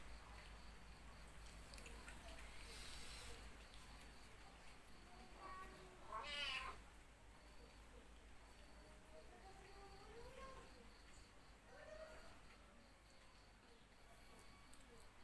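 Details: Cats suckling at a dog's teats; one brief, bright meow rises midway, followed by faint wavering tones amid a steady low hum and soft murmuring voices.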